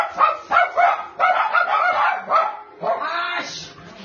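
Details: Twix, a 3-1/2-year-old black brindle male Cairn Terrier in Maryland awaiting adoption, gives a quick run of sharp, high yipping barks, about six bursts in four seconds, some doubled.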